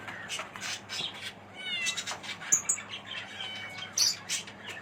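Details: Himalayan kittens, 45 days old, a male and a female, calling with thin, high mewing cries, some rising and falling, repeated in quick succession with short pauses between, a few clicks and faint background hum.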